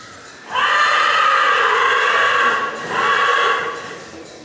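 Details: Black Forest Coldblood horse at the 2014 stallion licensing in Sankt Märgen, shown in hand and running free: a loud, steady, strongly harmonic call lasting about two seconds, then a shorter second call after a brief pause.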